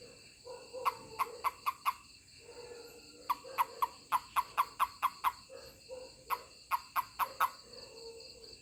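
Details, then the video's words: Handled toad giving its touch-provoked call: three quick runs of sharp, clicky chirps, each run several pulses long, with short silent gaps between and a quiet background hum. "Funny Toad 🐸 Sound when I Touch it/面白いヒキガエルの鳴き声"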